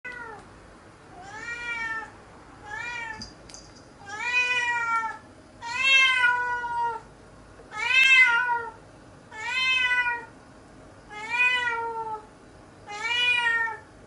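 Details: Nora, a formerly outdoor cat on day eight of adjusting to fully indoor life, lounging on the sofa, gives eight drawn-out meows. Each rises then falls, repeated about every one and a half to two seconds in a quiet room.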